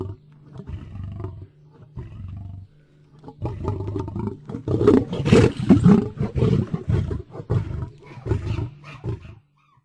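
A lion roars in deep, rumbling bursts that break into a run of quick, grunting pulses.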